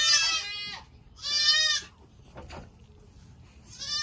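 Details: Baby goats bleating during the 2022 kidding season: loud, wavering, harmonic bleats, each lasting about half a second, with a pause of roughly a second between them and a faint click or rustle in the gap.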